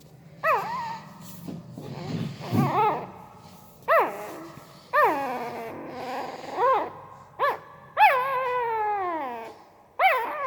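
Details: A sleeping newborn Pariah dog puppy, likely dreaming, gives soft, high whimpers and squeaky yips, each rising then falling, in irregular bursts.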